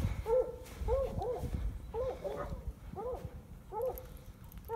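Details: Hounds bay after running a red coyote into a rock den. Each bay is a rising-then-falling, ringing call, delivered in clusters roughly once a second. Several dogs overlap, and faint outdoor rumble sits underneath.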